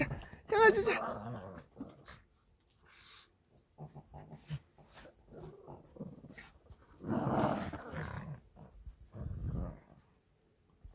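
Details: Two Shih Tzu brothers squabbling over a toy indoors on 13 March 2024: loud, harsh snarling bursts and short grumbling growls, separated by rustling and quieter pauses.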